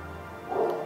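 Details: A large dog, possibly an Akita, gives a single short, mid-pitched bark after a quiet start while barking on a ramp at night, staying away from the dark gate.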